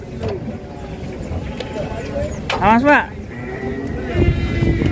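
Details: Angry, agitated fat cow in Indonesia: one strained arching bellow rising then falling near the middle, followed by a thinner drawn-out tone, over constant men's talking and a background engine rumble.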